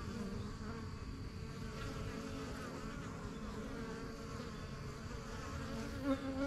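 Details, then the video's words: Backyard honey bee hive, the strong yellow box of a beekeeping start in spring 2023, with bees coming and going from their new home; an even low drone, a bee zipping close near the end. "BUSY BEE HIVE AMBIENCE"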